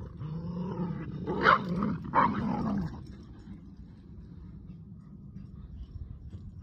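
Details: Two dogs, a Boston Terrier and a Keeshond, tugging on a broken rubber toy, with a loud rough growl over the first three seconds that peaks twice, then fades to quieter low rumbling.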